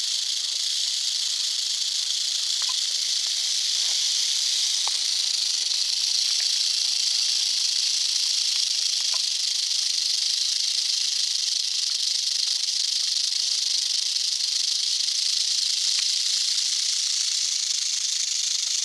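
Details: Sustained hiss-like rattle of an eastern diamondback rattlesnake from North Florida, an even, high-pitched buzz at constant loudness throughout, with a few faint ticks underneath.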